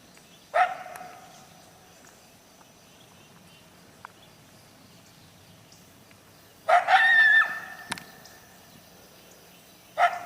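A coyote gives sharp, yelping barks, separated by several seconds of quiet.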